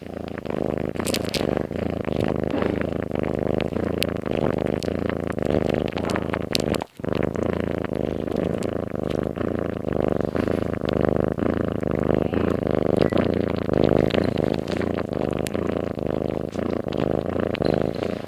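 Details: Domestic cat sleeping soundly, snoring in a steady rhythm of rasping, buzzy breaths roughly two per second, over a constant low electrical hum, with one brief break midway.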